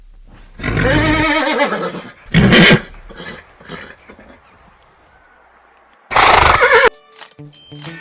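A horse gives a long, shaky whinny that slides downward in pitch, followed by a spoken voice.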